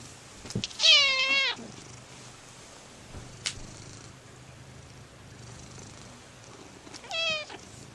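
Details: A domestic cat gives two clear, drawn-out meows, the first loud and wavering near the start, the second shorter and falling near the end, with a faint click between them and quiet room noise behind.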